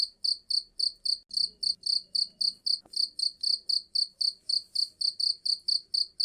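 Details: Cricket chirping, for use in repelling rats: shrill, high, pulsed chirps at a fast, regular rate of roughly four per second, with a faint low background murmur and a single soft click.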